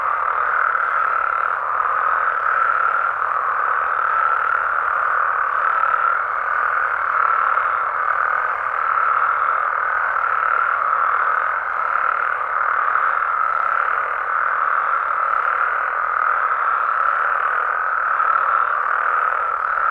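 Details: Frog and toad chorus recorded at night in Mexico, a continuous twenty-second blanket of overlapping trills and croaks at an even pitch and volume, with faint low rumbling underneath.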